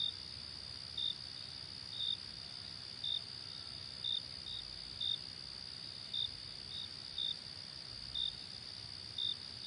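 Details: Crickets calling: an unbroken piercing trill with short, bright chirps recurring at about one-second intervals, occasionally doubled, and a gentle low hum beneath.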